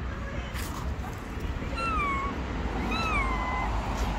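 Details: A gray stray cat living on the street, blind in one eye, gives two drawn-out meows, each first rising then falling and tailing away, over steady low street and traffic noise.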